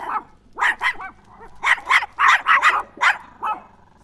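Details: Chihuahua, a small dog, barking: sharp high yappy barks in uneven bursts, some doubled or tripled, with short pauses between.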